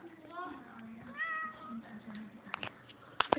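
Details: Scared domestic cat, put into a cage with a dog, trying to get away: two short wavering meows with strong harmonics. People talk over them, and sharp clattering knocks follow near the end.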